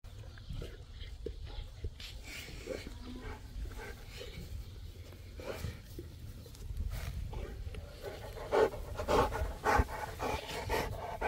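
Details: Boerboel, or South African Mastiff, from the pair Enzo and Diva living in Egypt: rhythmic heavy panting breaths, roughly two per second, with a few short throaty vocal bursts near the end over low background rumble.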